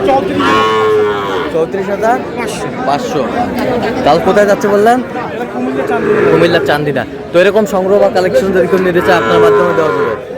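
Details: Sahiwal breed bull calves at a crowded cattle market, bought for a farm in Chandina, Comilla, on 31 March: several long, tonal moos follow one another, some rising and falling, over steady crowd chatter and voices.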